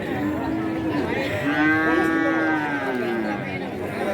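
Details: At Kajen cattle market, Pekalongan, Central Java, a feeder cow lets out a drawn-out moo that swells and then sags in pitch over about two seconds, against constant crowd chatter and other livestock.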